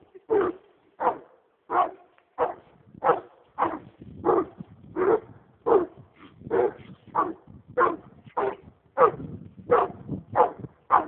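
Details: Excited American leopard hound on a roll cage, going crazy for a raccoon: a steady, unbroken string of loud barks, close to two per second, each short and punchy.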